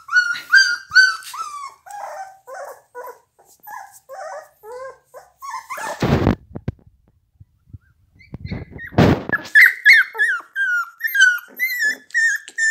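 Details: Pit Bull dogs whimpering: rapid series of short, high, bending whines, roughly two per second, broken by two loud broadband rustling bursts, with whines resuming and growing denser afterward.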